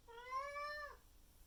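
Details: Maine Coon cat named Miku loudly meowing indoors in the morning, demanding to be let into the living room for food and water once her owner wakes; a single long, drawn-out harmonic meow, rising slightly then dropping off at the end.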